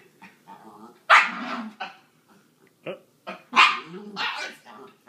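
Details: Norfolk Terrier made to wear a hat indoors gives a few loud, harsh barks mixed with growly sounds, spaced about a second or two apart, with a man's voice talking between them.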